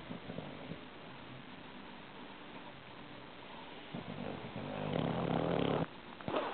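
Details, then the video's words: Sleeping Shar-Pei puppy Archie gives soft, low snuffling snores that build into a louder, longer rasping breath near the end, with a constant hiss behind it. "awesome shar-pei puppy snoring"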